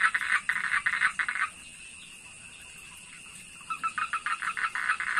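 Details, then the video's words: Frogs recorded around a fishpond behind a house: rapid pulsed croaks, about three or four a second, in a burst for 1.5 seconds, a pause with a steady high insect-like whine, then another croaking burst; constant high hiss throughout. "Frog Sounds Effect, Frog Noise, Suara Kodok Asli"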